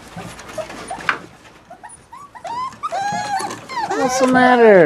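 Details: Border Collie puppies on 22 December 2013, near the mother at feeding time: a person's voice at first, then rising and falling tonal whines and squeals grow louder and crowd together toward the end.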